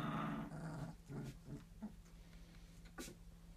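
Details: Fox red Labrador Retriever puppies, three weeks old, growling while playing: a low rumbling growl in the first second, then short grunts and squeaks, with a steady hum underneath.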